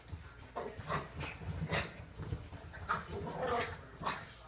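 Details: Pair of playing puppies giving weird growls and short grunting bursts roughly every half second, mixed with whines and thumps of rough play.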